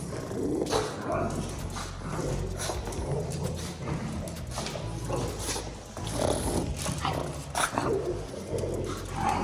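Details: Pug snoring, a compilation of snores: low rumbling rasps with irregular noisy breaths, some louder snorts around the middle and later, with faint background noise.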